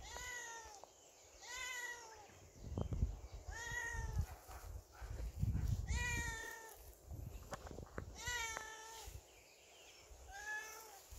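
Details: Domestic cat wearing a cone collar after a second surgery, kept shut in a storeroom, meowing repeatedly: about six drawn-out, slightly rising then falling meows spaced a second or two apart, with low thumps and rumbling in the background.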